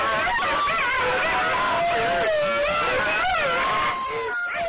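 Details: Several huskies howling together, overlapping long wavering tones that rise and fall, with some voices sliding up and others dipping. The chorus is loud and continuous, without pause.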